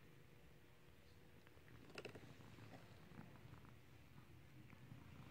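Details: Purring cat being clicker-trained to ring a bell: continuous low, throbbing purr, broken by one sharp broadband clatter early on.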